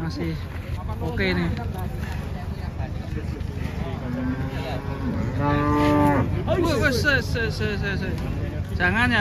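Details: Big cattle coming down off a truck in Indonesia, with steady low engine hum and voices, then one strong, harmonic bellowing moo midway and a rising call near the end.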